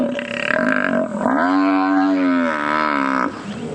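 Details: An African buffalo, attacked by five lionesses with one hanging on its back at sunrise on 8 November 2016, gives one long, rising, moaning bellow of about two seconds, with a man's voice before it.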